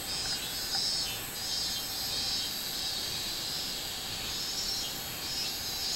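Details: Robust cicada recorded 24 July 2016, giving a steady high-pitched buzzing song with gentle pulsing waves of loudness and a faint hiss behind it.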